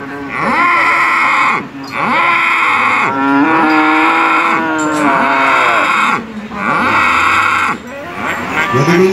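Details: Repeated bellowing moos of Sado cattle at a 2018 competition in Manir, Terengganu, Malaysia; several long, bending, harmonic-rich calls separated by short gaps, with loudspeaker-like event sound and announcer chatter underneath.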